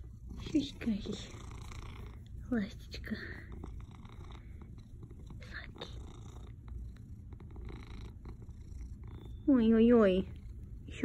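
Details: A domestic cat purring very hard like a motorboat, a continuous low rumble throughout while a woman talks to it softly in Russian; a louder voice swell near the end.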